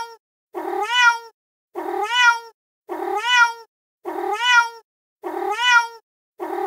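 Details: Angry street cat, met on stairs in darkness and recorded on a terrace after being fed, giving long wavering meows that rise then fall, five nearly identical calls repeated about every 1.2 seconds with short silences between, no other sounds.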